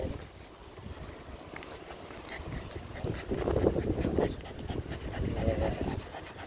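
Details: Patterdale Terrier, a female, out on a countryside walk with a rifle, panting in quick breathy rushes about three to four times a second, with low rumbling handling noise and a faint human voice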